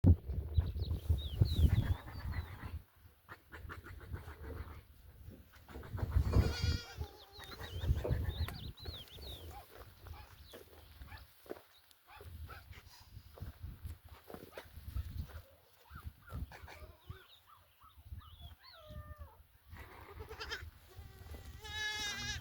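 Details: Goat family of mother goats with their kids on a farm: two loud, wavering, harmonic bleats, one near the middle and one at the end, over heavy low rumbling wind noise, with high thin bird chirps scattered throughout.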